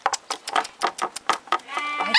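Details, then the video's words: Four-week-old Alaskan Malamute puppies from one kennel litter: short, bleating yelps repeated roughly four times a second, then a drawn-out, high harmonic whine at the end. "Alaskan Malamute Puppies - 4 weeks old"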